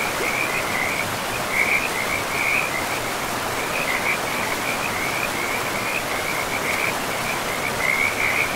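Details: Frogs by a forest river giving bursts of rapid, rattling high-pitched trills, one after another with brief gaps, over a steady broad roar of rushing water.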